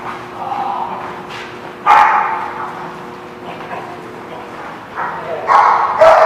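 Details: Dogs barking at a lot on 28 November 2016: loud, harsh barks at about two and six seconds, the last two coming close together, with steady background noise between them.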